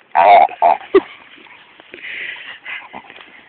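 A dog lets out a few quick, nasal, grunting yelps, then trails off into soft murmuring.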